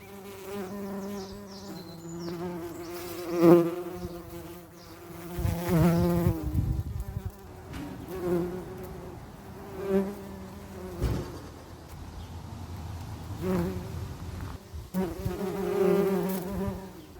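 Bees buzzing with a low, droning hum that swells and fades as they fly close and away.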